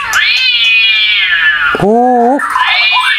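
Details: Recording of cats fighting, played back to provoke a captive bird and raise its aggression: a long, loud wavering yowl, then a lower moaning yowl with a bending pitch, then a rising, strained yowl.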